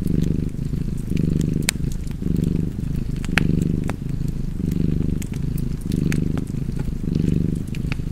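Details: Cozy purring from a cat near a fireplace. The low, vibrating purr rises and falls in regular inhale-exhale cycles, while fire crackles pop intermittently above it.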